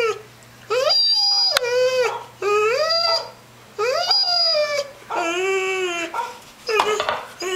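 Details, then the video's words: A puppy, ten months old, reacts to dogs shown on a computer screen with a series of six drawn-out, wavering howl-like barks, each lasting about a second, evenly spaced, over a low background hum. "barking at computer dogs"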